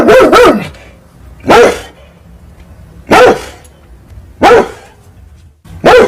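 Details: Big angry dog barking at cats fighting at night: loud, harsh barks, a quick double bark then single barks about every one and a half seconds, with quiet pauses between.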